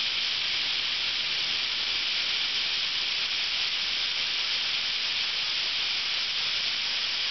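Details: Thousands of cicadas in summer at Ryokuchi park, North Osaka, Japan, where they sing from sunrise for about two months; a dense, shrill, unbroken buzzing wall holds steady for the whole stretch with no pauses or other sounds.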